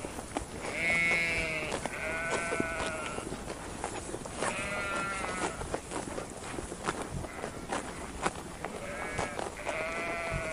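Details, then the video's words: Sheep bleating: four wavering, nasal bleats, each about a second long with rich harmonics and a shaky tremolo, spaced a few seconds apart over steady rustling and clattering farm background noise. "SHEEP SOUNDS"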